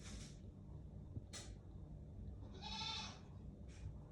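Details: An angry domestic cat kept indoors gives three breathy, noisy hiss bursts, the longest lasting about half a second. A faint whine runs through it, with no other voices.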